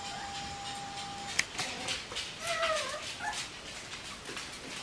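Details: Bichon Frisé puppies of the V litter at Vejles Lille Kennel give a few brief, wavering whiny squeals that rise and fall, set against steady rustling and clicking, with a faint constant tone early on.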